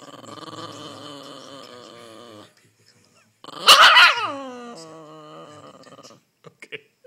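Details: A tired female Shiba Inu, annoyed at being squeezed while trying to snuggle, gives a drawn-out, throaty growl that erupts into a loud, falling yelp-like cry.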